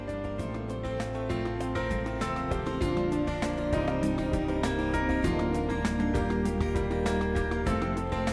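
Gentle instrumental music plays throughout, with steady beats and sustained tones and no animal sounds.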